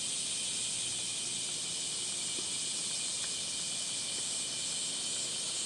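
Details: Cicadas in Gifu Prefectural Centennial Park, Japan, on a hot 37°C July morning in 2026, heard along a footpath: an even, sizzling high buzz filling the whole stretch, with faint ticks and rustles.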